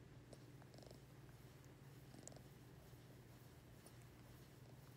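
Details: A pet ring-tailed lemur getting petted gives a steady low purring rumble throughout, with a few light taps and rustling noises over it.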